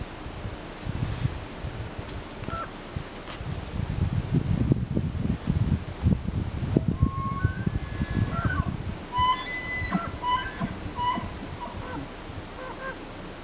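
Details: Distant bugles of male elk gently sparring in Upper Beaver Meadows, Rocky Mountain National Park, in the afternoon: high, whistled notes that rise and fall over low wind rumble.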